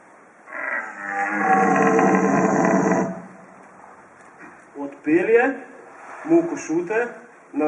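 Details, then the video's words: Red deer stag in the rut near Borovnica, Slovenia: one harsh, rasping roar of about two and a half seconds, then a few short uneven grunts and spoken words. "Rukanje jelena"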